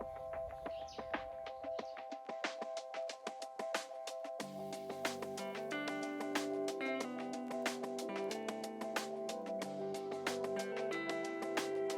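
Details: Upbeat instrumental music with bright, regular wood-block knocks and a bass line coming in after a sparse opening.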